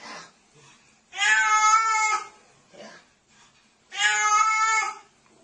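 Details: Two loud, sustained meows from a pet cat, each lasting about a second with a rich harmonic, slightly wavering tone, separated by a short pause and faint background voice, indoors in a small room.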